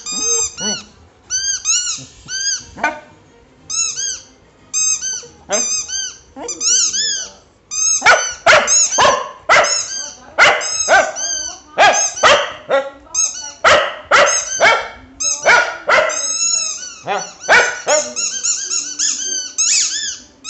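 A Cocker Spaniel sings a run of tuneful, arching howls and yelps, each rising then falling. The notes come in quick bursts with brief pauses, some short and sharp, others long and quavering.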